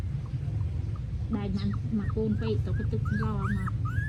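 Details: Newborn puppies in Cambodia, filmed by phone, give thin, high, wavering whines that rise and fall in quick succession over the last seconds, while Khmer conversation carries on close by.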